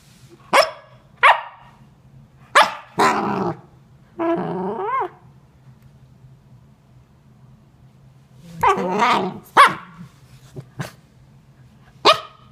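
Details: A female Corgi puppy (Canis familiaris), frustrated that her toy is hidden, gives sharp yips, rasping growls and a wavering, whining grumble, described as dinosaur noises.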